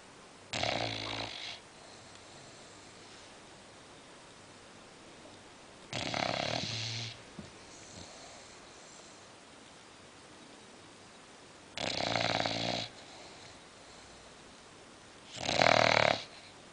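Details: A sleeping female English Bulldog snores in four loud raspy bursts, roughly every five to six seconds, each about a second long, with near silence between them.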